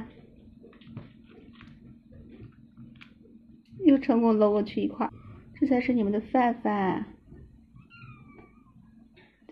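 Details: Several indoor kittens, excited at the sight of meat, loudly demand food: a burst of harmonic, wavering meows around the middle, several overlapping in quick succession, followed by a person calling the cat Panghu to eat; faint room noise.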